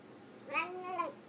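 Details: Pet cat vocalising over its food indoors: a drawn-out, wavering meow with a rising then falling pitch lasting about half a second, like chatty talking; quiet room background.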